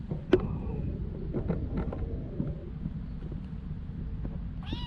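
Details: Homeless street cat named Justin Bieber in Ras Al Khaimah, UAE, gives a short rising harmonic meow near the end, cut off abruptly, over a steady low traffic rumble with scattered clicks and knocks.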